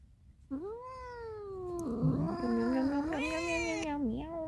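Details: A domestic cat yowls in a long, wavering meow while trying to escape. The call lasts about three and a half seconds, bending down and up in pitch, and grows harsher and louder toward the middle before trailing off.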